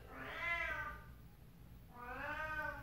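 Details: Female domestic cat meowing twice indoors, two long harmonic meows rising then falling, about two seconds apart, with a quiet room behind.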